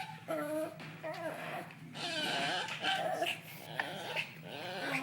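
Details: Indoors, an angry miniature pinscher–Pomeranian cross that does not want to be cuddled gives wavering, whining growls that rise and fall in pitch, several drawn-out moaning bursts in a row.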